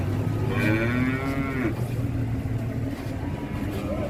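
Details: A giant Pegon bull at an Indonesian cattle market gives a single drawn-out moo of about one second that bends slightly downward, over a steady low engine hum and faint market voices.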